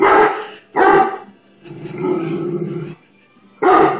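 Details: A 135 lb Great Dane, frightened by a bubble blower stick, gives three loud, harmonic-rich barks: two close together at the start and one at the end, with a quieter, lower, drawn-out rumbling sound between them.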